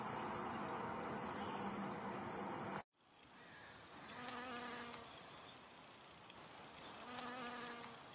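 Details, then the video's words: Honey bee working flowers for nectar: after an abrupt cut from loud pulsing noise, two short humming buzz passes come and go a few seconds apart. "Honey Bee Humming Sound"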